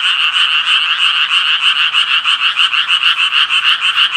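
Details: Rhythmic croaking of Japanese tree frogs, quick rasping notes beating roughly three times a second in a regular pulse, backed by a continuous chorus of other frogs.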